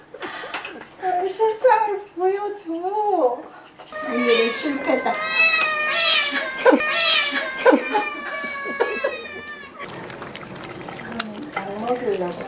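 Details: Ragdoll cat indoors, from a home keeping eleven Ragdolls, produces a string of wavering, insistent meows, some rising and bending, about one per second, mixed with people talking and laughing in the room.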